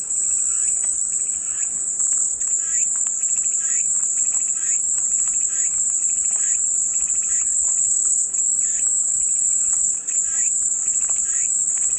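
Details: Cicadas heard as soothing white noise: a sustained high, sizzling buzz holds constant for the whole stretch, with quieter rasping pulses repeating beneath it.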